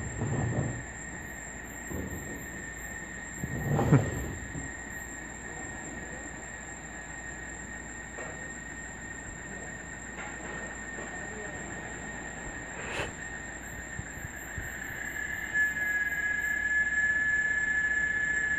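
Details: At dawn or dusk in a Brazilian forest, cicadas hold a steady, piercing high drone, with a lower whistling tone and faint pulsed buzzes above; this sound lasts 30 minutes to an hour.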